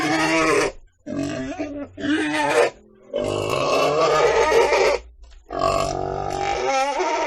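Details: Pig calling in a run of harsh, harmonic squeals of uneven length, some choppy and stuttering, with short gaps between bursts and no other sounds.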